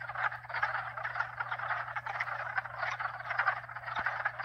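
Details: Dense frog chorus of at least two, perhaps as many as four, species: overlapping rapid croaks and trills merge into a continuous pulsing wall of sound, with a steady low mechanical hum from hot tub pumps underneath.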